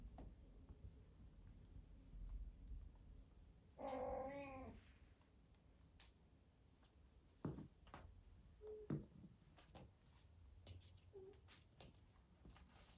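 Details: British Shorthair kittens, 43 days old, two golden males, a blue male and a golden female, indoors at playtime with crinkly paper, balls and tunnels; one wavering, harmonic meow of about a second, then two brief faint squeaks amid soft rustling and thumps.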